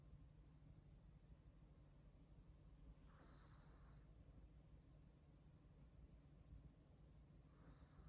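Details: Comfortably sleeping Chihuahua gives one full whistly, breathy snore and then the start of another about four seconds later; a quiet low hum runs throughout.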